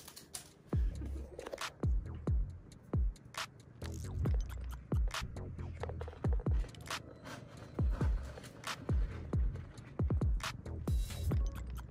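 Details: Electronic music with heavy, evenly spaced percussive thumps and scratchy textures fills the whole stretch.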